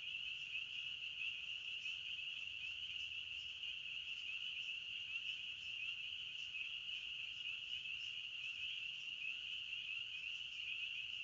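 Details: Chirping crickets of the forest form a constant high-pitched pulsing drone of overlapping trills lasting the whole time, with only faint low background rumble.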